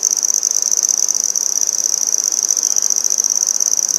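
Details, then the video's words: Handsome trig (red-headed bush cricket) recorded up close in Maynard, Massachusetts on 14 September 2019, producing a shrill, rapidly pulsed ringing trill at a steady pitch with no pauses. "Handsome Trig Singing"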